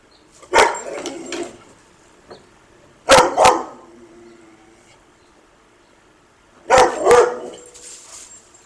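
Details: Dog chasing a squirrel named Bob, barking in three bursts of doubled woofs spaced roughly three seconds apart, with quiet pauses and faint outdoor sounds between them.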